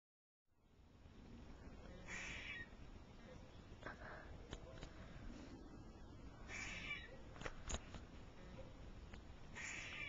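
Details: Squirrel calling, with harsh, noisy bursts roughly every two to three seconds, several sharp clicks between them, and a steady low rumble throughout.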